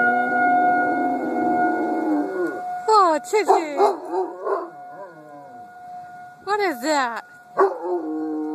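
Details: Domestic dog howling in response to a siren, recorded on an Android phone: a steady siren tone runs throughout, then wavering, warbling howl notes rise and fall in bursts around three to five seconds and again near seven seconds.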